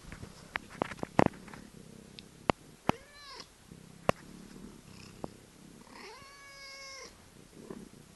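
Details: Norwegian Forest cat purring softly under scattered clicks and taps, then giving two meows: a short arching one near three seconds and a longer, level, harmonic-rich meow lasting about a second near six seconds.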